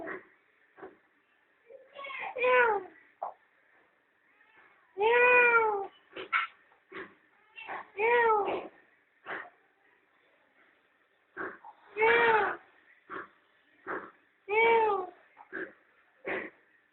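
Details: Mother cat and playful kittens basking in the sun at a family home: a run of rising-then-falling harmonic meows, some long and some short, with brief sharp sounds and a faint steady hum between calls.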